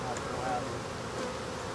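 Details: Continuous, even buzzing from a crowd of African honey bees while a hive is being removed, a low droning wash with no pauses.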